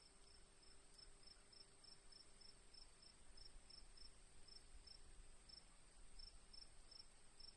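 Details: Steady cricket chirping: sharp high pulses in an even rhythm of about three per second with a few short gaps, accompanied by a continuous high whine and low rumble.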